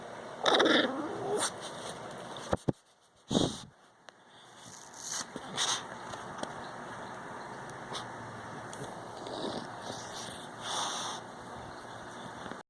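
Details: An English bulldog (Canis familiaris) gives a drawn-out, wavering, whiny vocalization, then scattered grunts and yowls.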